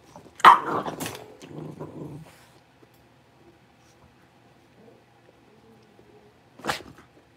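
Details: Blenheim Cavalier King Charles Spaniel puppies, a litter of five born at New Year's, moved into a bigger pen. A burst of rough yapping and growling comes first, then near silence, then one sharp bark close to the end.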